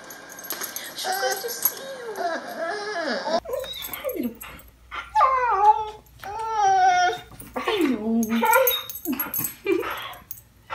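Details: Year-old male Border Collie indoors crying with excitement when a family member arrives for her roughly weekly visit: repeated wavering, whining cries rising and falling in pitch, several in a row, mixed with a woman's laughing voice and speech.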